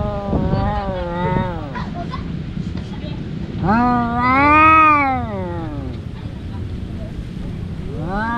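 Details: Two domestic cats, brothers, fighting as they do every day: a wavering growly yowl, then a loud arching wail swelling and fading, and the start of another cry at the end over steady low rumble.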